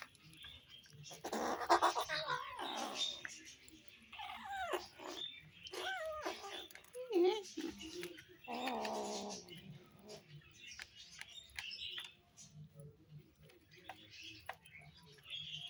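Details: Hungry kittens making noises while they eat: a busy run of short, wavering, harmonic mews and growly calls, loudest near the start, with chewing and patter in between.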